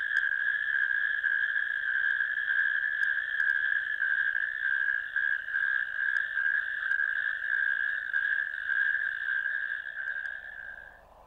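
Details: Natterjack toads in a ditch, recorded on 1 May 2024, give a loud, sustained rattling trill that carries steadily for several seconds.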